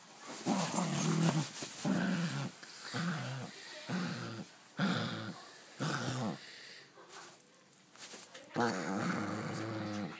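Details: Pet dog playing with and mouthing its new toy, making gremlin-like grunting growls in repeated bursts about every second, with throaty, whining rises in between and a longer strained growl at the end.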